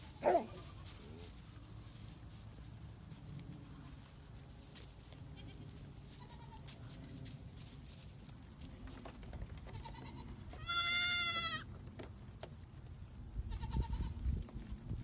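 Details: Playful baby goats jumping around give one loud, wavering, strongly harmonic bleat about a second long, with a few faint, shorter bleats before and after over a steady hiss of background noise.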